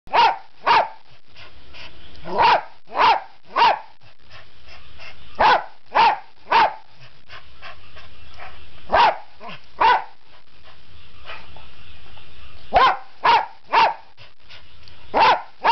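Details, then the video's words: A dog that is desperate to go for a walk barks in short, sharp bursts, mostly in quick pairs or threes with pauses between. "吠えるハンゾウ"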